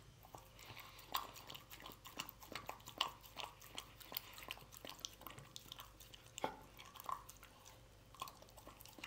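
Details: Pet dog chewing canned food in a small indoor room, crunchy bites and smacking mouth sounds arriving in irregular bursts, a few sharper crunches standing out, with a faint steady hum behind.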